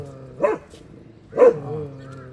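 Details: Black-and-tan female Korean Jindo puppy raised by an unrelated surrogate mother: two short, loud yips about one second apart over a low background hum.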